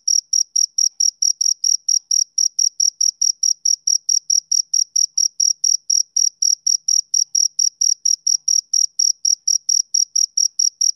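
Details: Rhythmic chirps of a male cricket, a summer-evening sound: high, bright pulses repeating roughly twice per second in an unbroken, metronome-like train over a silent background.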